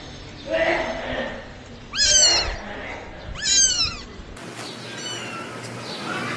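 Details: Newborn kittens meowing twice, a second and a half apart. The calls are short and high and bend downward, with faint murmuring and rustling in the background.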